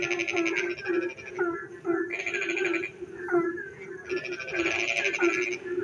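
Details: Frogs sing at night in the rain: low croaking notes repeat steadily while harsh buzzing trills break in at the start, middle and end, several animals calling over one another.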